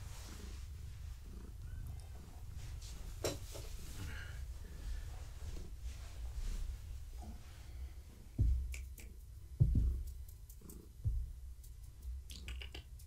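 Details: Gaia, a pregnant long-haired tabby cat, indoors in the evening while being petted. A steady low rumbling purr runs throughout, broken by a few sharp clicks and taps near the end.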